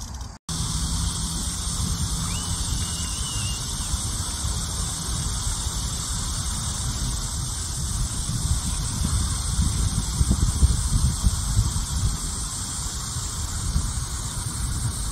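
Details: Cicadas at the start of the summer heat, a steady, unbroken high shrill drone that holds through the whole stretch, laid over heavy low rumbling wind or traffic noise.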